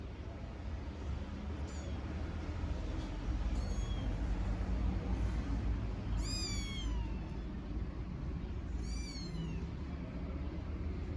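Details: Tiny stray kittens in Istanbul meowing for their mother cat: thin, high, arching meows, a few faint ones early, then two louder drawn-out cries in the second half, over a steady low urban traffic rumble.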